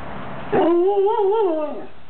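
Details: A pet dog yawning indoors; a single drawn-out vocal yawn lasting over a second, a wavering whine that rises slightly, wobbles, then slides down and fades.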